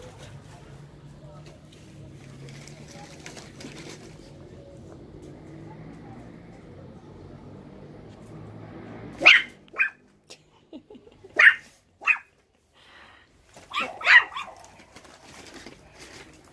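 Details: Russian Toy puppies playing together indoors; after about nine seconds of quiet low hum, sharp high yaps burst out in short clusters, three or four loud barks spaced a second or two apart with softer yelps between.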